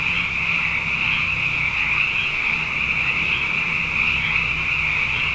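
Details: A night chorus of plentiful frogs following two successive wet years. Countless overlapping high-pitched trills form a continuous even wall of sound, with a soft low hum underneath.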